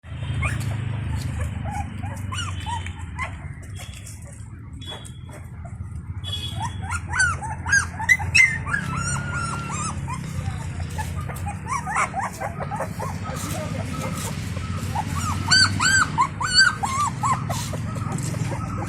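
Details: Indian pariah puppies at feeding time with their free-roaming stray mother; one puppy has run out, crying for her attention. Many short high whines and yelps, some rising and falling, overlapping in a busy stretch, over low rumbling background noise.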